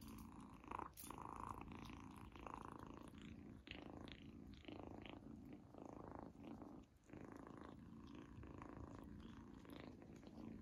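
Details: Izzy, a female kitten, eating a treat for the first time indoors and loving it; a steady low rumbling purr runs throughout, with brief louder vocal bursts near the start and faint chewing clicks.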